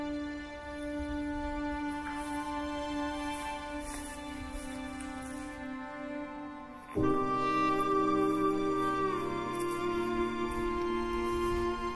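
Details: Gentle, sad instrumental music with sustained tones that shift to a fuller chord midway, and no animal sounds.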